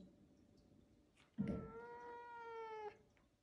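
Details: A playful pet caracal, chewing hard on her favourite toy and unwilling to give it up, gives one drawn-out, nasal meow-like call that sags slightly in pitch.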